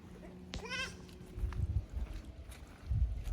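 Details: Goat kid from the lower pasture of Yoshigake goat farm, Japan, exploring an unfamiliar upper pasture on 15 May 2024; one short quavering bleat early on, followed by low rumbling and thumping noises.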